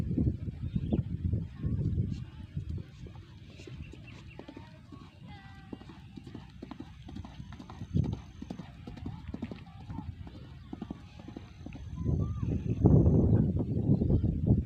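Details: A single horse in light training ahead of the 2023 Gayo traditional horse race event. Dull, low hoof thuds come in quick, uneven runs, under a man's commentary and background murmur. The thudding swells louder near the end.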